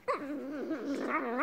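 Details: A female Boston Terrier "having a chat" makes a drawn-out, wavering whine-howl that rises and falls like talking.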